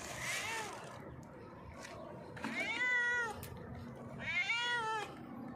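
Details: Hungry stray cat on a rock asking for food, meowing loudly: three strong, harmonic meows, each arching up then down, roughly two seconds apart, with faint background hiss.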